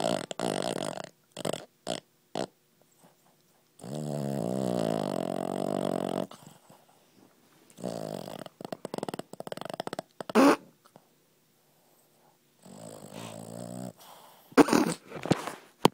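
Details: Rambo, a pet Boston Terrier, snoring while asleep: drawn-out buzzy nasal breaths with a humming tone alternate with short snorts and sniffs, separated by quiet gaps.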